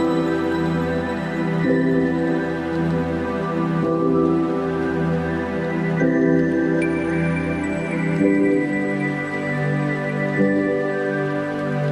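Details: Soft ambient new-age music with sustained tones plays throughout, and no animal is heard.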